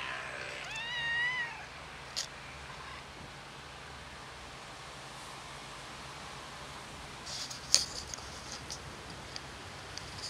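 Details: Black cat meowing from hunger after running over for food it has been given here before; a single wavering, rising-then-falling meow at the start, then quiet background with a few sharp clicks.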